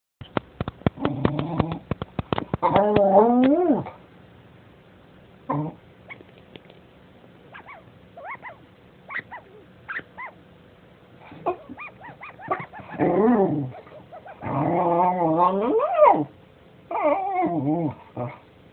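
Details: A dog gives a run of drawn-out, wavering, tonal vocalizations, sliding up and down in pitch like whining howls. Quick clicks come at the start, and the calls arrive in bursts separated by quieter gaps.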